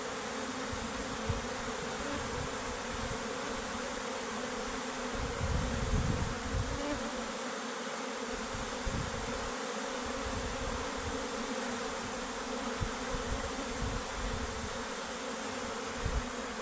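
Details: Honey bee workers and queen leaving their hive home; a thick unbroken hum of countless wings, swelling slightly at times, with occasional soft knocks in the background.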